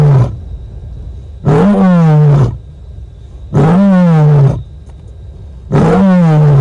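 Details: Female lion at Nkorho in the night and morning of 30 September, giving long moaning calls to make contact with other lions: deep, low, drawn-out moans about a second long, repeated roughly every two seconds, three full calls.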